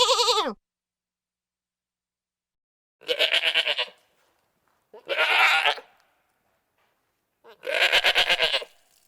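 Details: Goat giving a series of four nasal, quavering bleats roughly one to one and a half seconds apart, each lasting around a second, the first ending in a falling slide, with quiet gaps between calls.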